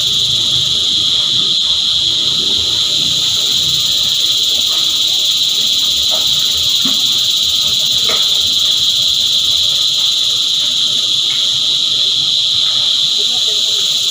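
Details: Cicadas singing together in a dense chorus: a steady, shrill, unbroken buzz with several high layered tones holding at the same level throughout, and faint low rumbles and scattered soft sounds underneath.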